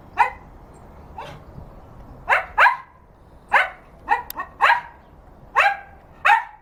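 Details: A 7.5-year-old male dog in a garden gives about ten sharp, mid-pitched barks at birds, singly and in quick pairs, roughly one every half second to a second.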